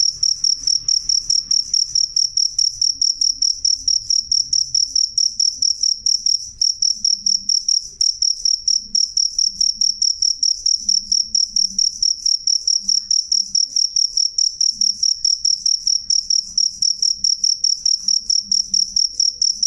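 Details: A cricket chirps loudly and clearly. Its sharp, high, tonal pulses come in a brisk, unbroken series for about twenty seconds, with only a faint low murmur beneath.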